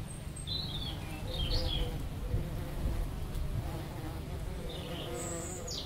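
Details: Bees working lavender flowers give a continuous low humming buzz that swells and fades slightly, while brief high-pitched bird chirps sound now and then in the background.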